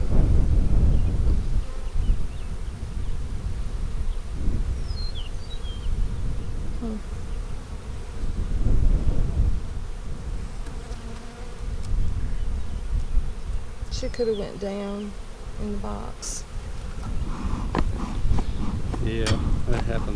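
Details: Honey bees humming during an April 15, 2017 hive inspection of a colony split on March 4: a dense, low, steady drone with loudness swelling and easing, plus brief faint voices and handling noises near the end.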